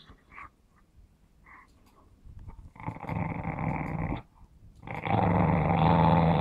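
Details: Smooth Fox Terrier named Run growling over a ball during play; two sustained, rasping growls, the second rising louder and continuing to the end, preceded by faint snuffling.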